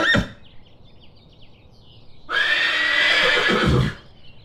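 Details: Farm horse giving a loud, rough, shaking whinny that lasts about a second and a half, after a short knock at the start. Faint bird chirps are heard between the sounds.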